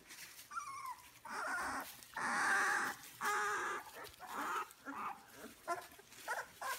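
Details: Two-week-old British Labrador Retriever puppies from a litter of six, three black males, one black female and two yellow males, whelped May 7, 2016; soft, uneven whimpers and squeals overlap one another, several voices calling at once.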